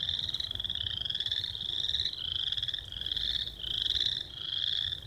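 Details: Several American toads at Lone Lake, Minnetonka, Minnesota, in early May give long, steady musical trills that overlap into a continuous high chorus.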